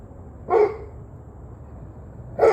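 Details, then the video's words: Dog barking, recorded 11/21/23 at 7:06 pm: two short, sharp barks, one near the start and another at the very end, separated by about two seconds of low background rumble. "26 Minutes of Barking Dogs"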